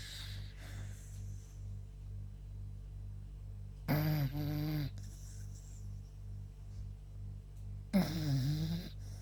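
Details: Yuta the beagle snoring while sleeping after a walk: two throaty, rattling snores about four seconds apart, each lasting around a second, against a constant low hum.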